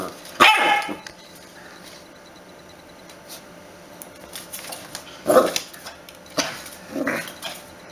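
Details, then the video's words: Puppy barking in a short burst at the start, then quiet before three more yappy barks near the end, with a faint background hum between calls. "Cute Puppies Barking"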